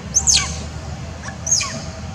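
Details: Orphaned young monkey screaming for its mother while being persecuted by other monkeys. Two piercing, very high screams slide steeply downward, about 1.3 seconds apart, with a faint short cry between them, over a low background rumble.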